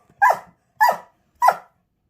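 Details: German Shepherd frustrated at being unable to destroy a toy during play, indoors: three short, sharp barks or yelps spaced about half a second apart, clean and loud with nothing else heard.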